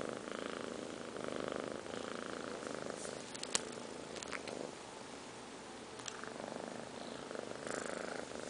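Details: Two 5-month-old kittens, Liz and Taby, asleep and snoring: a soft, steady breathy rumble with a purr-like texture, broken by a few faint clicks and small rustles.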